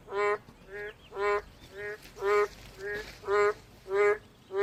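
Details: ['Boreal digging frogs giving a run of nasal, bleating honks roughly twice a second, stronger and weaker calls alternating as if answering each other, with faint background noise.']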